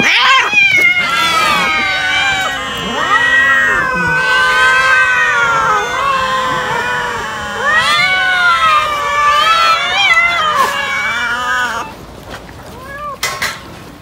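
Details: Many cats eating raw chicken, a dense chorus of loud overlapping meows and wailing cries, each bending up and down in pitch, almost unbroken for about twelve seconds before dropping to a few short, quieter meows.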